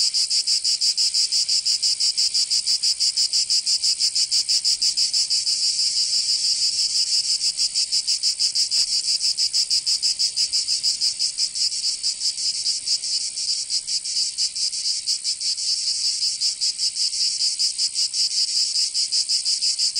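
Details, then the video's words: Cicadas singing in summer in Provence, southern France: a dense, shrill buzzing chorus with a rapid pulsing throb, about three beats per second, steady throughout with slight dips in loudness. "Canto Cigarra 🦗 [ Escuchar les cigarras en verano"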